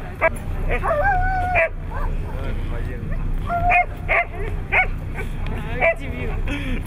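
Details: Siberian Huskies at a competition in Nizhny Novgorod, 3 February 2017, give drawn-out whining cries with wavering, stepped pitch and short sharp yelps in bursts, while human voices and crowd murmur run beneath.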